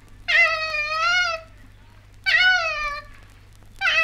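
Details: An Australian female koala calling gives three drawn-out, nasal wailing cries, each about a second long and slightly wavering, spaced roughly two seconds apart; 1968 recording.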